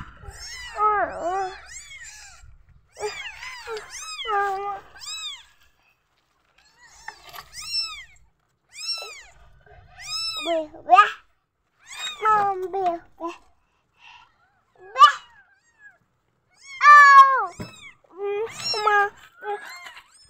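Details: Several newborn kittens crying out from insecurity, bursts of thin arched mews in clusters separated by short pauses, occasional lower wavering calls, otherwise quiet.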